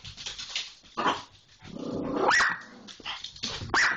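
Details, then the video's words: Pit Bull tangling with an Irish Jack Russell Terrier: low growling swells into rising yelps and whines, with a human voice calling in between. "Pitbull and Irish Jack get into a tiff"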